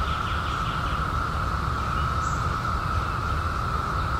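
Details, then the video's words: Continuous, even buzzing drone of cicadas emerging in 2021 after a 17-year hiding, one level tone without pulses, faint bird twitter and a deep rumbling noise underneath. "CICADAS 🌿 Sounds"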